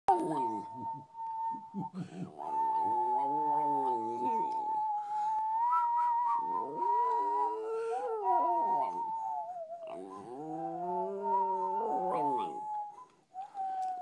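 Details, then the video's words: Nessie, a West Highland White Terrier, howling like a wolf: long wavering howls with stacked harmonics that rise and fall in several drawn-out bouts, over a steady high whistled tone running throughout. "Nessie the Westie howling"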